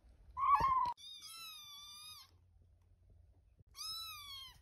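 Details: Tiny, whiny kitten Muffin, high-maintenance and wanting attention, indoors: a loud, short, strained mew, then two long, thin, steady-pitched high cries separated by a pause.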